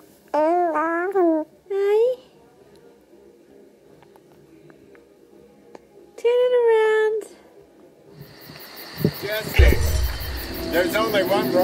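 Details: A lamb named Martha, being coaxed to lift her head up, gives three wavering, nasal bleats, the last one longer and steadier, before music starts.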